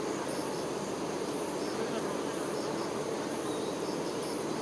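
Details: Steady, rich humming of honey bee workers caring for the queen, a broad low drone of many bees without breaks, with faint high hissing pulses and paired chirps at intervals.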